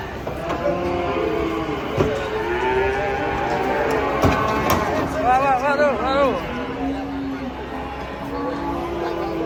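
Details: Cattle unloaded from a truck low amid shouting people; wavering, voice-like calls in the middle give way to several steady, low moos, all over constant engine and crowd noise.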